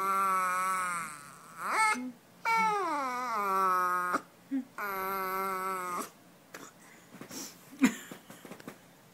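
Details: A corgi puppy reacting excitedly to fake ear nibbles gives long, wavering whine-howls that slide downward, with short pauses between them.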